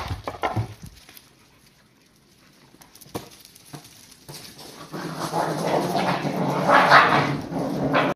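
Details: Cardigan Welsh Corgi puppies, one named Biske, playing with a cheap dog toy from a 100-yen shop; a few sharp clicks and knocks, a quiet stretch, then a sustained rough, noisy growling rumble from about five seconds with a brief whiny tone near the end.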